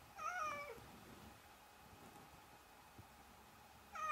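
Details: Domestic cat giving one clear, bending meow at the start and the beginning of another at the end, with a quiet room in between.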